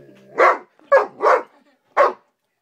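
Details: An 11-month-old Great Dane mix, scared of a bug, gives four loud, short, rough, full-throated barks at uneven intervals over a couple of seconds, after a soft, tonal whine.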